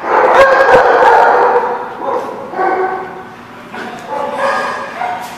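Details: Dogs at a lot called The Barking Lot, recorded 8/4/17. Loud overlapping barks and yelping cries come in a tight burst at the start. Quieter, spaced barks and whines follow.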